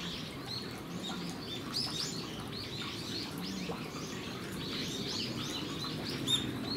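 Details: Geoffroy's spider monkeys kept at Japan Monkey Centre in Aichi, Japan, recorded 13 December 2018, giving many brief high-pitched arched chirps in quick, uneven succession over a soft low background rumble.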